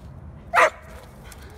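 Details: Dog confronting a squirrel: a single sharp, loud bark in the middle, followed by a fainter short yip at the end, over low background rumble.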